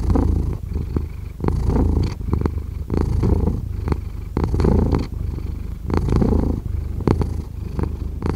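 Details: Steady cat purr, deep and throaty, swelling and easing in rhythm with each breath about forty times a minute, the rumble staying low and continuous throughout.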